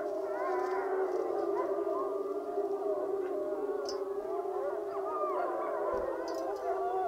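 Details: Wapiti Lake wolves in a group howl session, several animals howling at once: sustained mid-pitched tones with wavering, bending upper voices weaving above a steady lower howl throughout.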